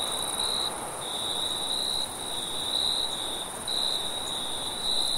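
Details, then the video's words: Crickets at night give steady, piercing trills pulsing about once a second, set against a dull, even background noise. "Sounds at night, Cricket sounds"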